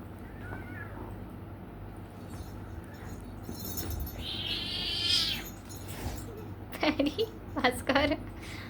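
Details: Cats fighting at 3 AM, caught on camera at night; a rising drawn-out yowl swells midway, followed by sharp repeated cries near the end over steady low background hum.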